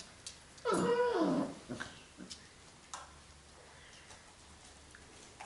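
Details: Labrador Retriever puppies in an indoor kennel, being accustomed to it on 8 June 2015; one short whine lasting under a second, its tone wavering and then falling, followed by a few faint soft noises in a quiet room.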